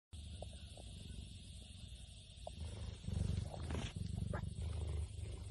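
A cheetah purrs in a deep, steady rumble that swells louder partway through.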